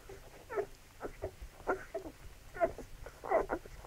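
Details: Labrador Retriever puppies at feeding time; short squeaky whimpers and yelps tumble out in quick, irregular bursts, about six within four seconds, over a low background rumble.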